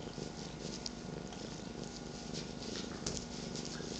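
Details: Indoor morning rumble of purring pet cats, a 13-year-old and an 8-month-old with a third on a lap, giving a dense, even low vibration and faint rustling.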